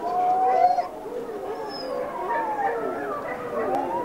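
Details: Wolves in a pack howling while one female greets the people who hand-raised her; a loud level howl opens, then several wavering, rising and falling howls overlap in a chorus.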